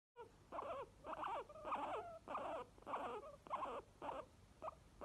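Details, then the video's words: Two pet guinea pigs, a white one named Obi and another named Chewi, making happy wheeking noises: a run of about eight squealing, wavering calls, each under half a second, repeated roughly every 0.6 seconds with short gaps between. "HAPPY GUINEA PIGS NOISES"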